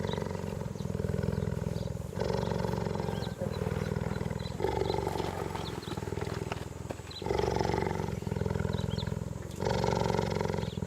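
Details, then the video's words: Cheetah giving a steady, deep, rapidly pulsing rumble that continues without a break, swelling louder every two to three seconds, with faint background hiss. "CHEETAH SOUNDS Listen to the Sound of Cheetahs"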